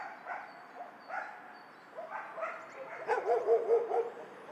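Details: Several dogs in a dog shelter bark back and forth, scattered single barks early giving way to a quicker, louder burst of yapping near the end over a steady low hum.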